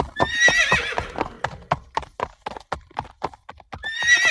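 A horse gives a shrill, quavering whinny that trails off. A second neigh follows after a run of sharp hoof clip-clops.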